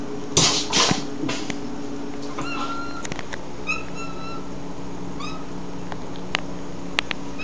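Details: Mew, a pet cat, calls at a crane fly just out of reach. Thumps open the recording, then a string of short, tonal meows and chirps, some sliding downward, over a steady low household hum.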